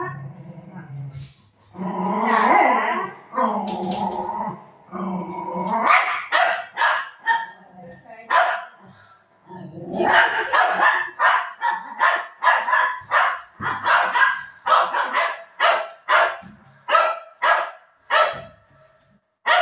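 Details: Pet dog in a home, barking while a woman repeatedly tells it to stop; rapid series of short, sharp barks in the second half following longer voiced sounds and speech.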